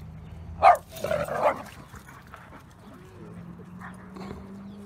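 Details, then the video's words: Dog giving one short, sharp bark followed by a rougher, longer burst of barking, then quiet with a steady low hum running underneath. "Som do Cachorro Cachorro latindo"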